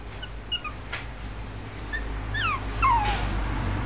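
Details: Male Shih Tzu puppy born in November 2011 at a kennel, giving thin, high whimpers that slide downward in pitch, a few short ones early and a longer drawn-out whine near the end, over a steady low background hum.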